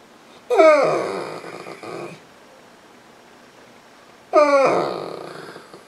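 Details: Misha, a female Saint Bernard on a couch, cries to get petted, sounding almost like a baby; two loud, long wailing whines about four seconds apart, each opening with a bent, wavering tone and fading into breathy moaning.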